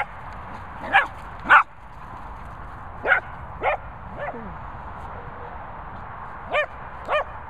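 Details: Cockapoo playing with a Labrador in Worcestershire countryside, giving short yappy barks in pairs and singles, some with a falling tail, spaced irregularly about a second apart, over low steady hiss.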